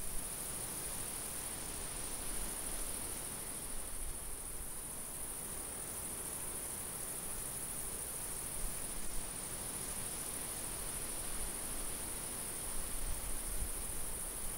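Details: A summer field chorus of crickets gives a sustained high, shrill trill with occasional brief dips in strength, set against a faint background of light wind.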